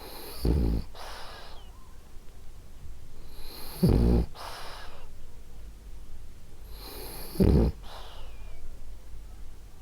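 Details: Sleeping French Bulldog Ariva, female, gives gentle rhythmic snores, three rattly low grunts roughly every three and a half seconds, each trailed by a soft breathy exhale.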